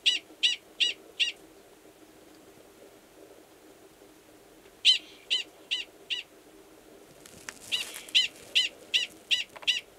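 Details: Gunnison's prairie dog male calling to mate beside the burrow of an estrous female, Valles Caldera National Preserve, New Mexico, in March; bursts of rapid, evenly spaced squeaky barks separated by several seconds of quiet, with a soft rustle near the end.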